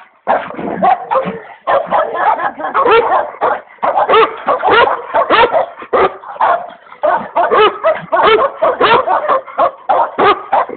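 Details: Rapid, insistent barking from the komondor Boci, with sharp barks tumbling out in dense runs and clusters across nearly eleven seconds, broken only by a couple of brief pauses.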